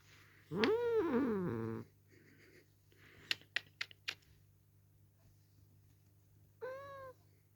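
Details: Pet cat named Dale, who dislikes being held, yelling while picked up and kissed: a long, loud wavering meow at the start, a few clicks and taps, then a shorter rising-falling yowl near the end.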